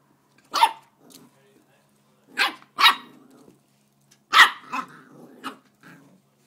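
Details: A corgi puppy playing with a bike pedal gives sharp, high yapping barks in irregular bursts, with soft grumbles between.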